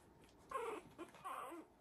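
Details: Three-week-old Havanese puppy in the "January Storm" litter, still wrestling before settling in the whelping box; two short smeared whimpers with a faint yip between them over quiet room noise.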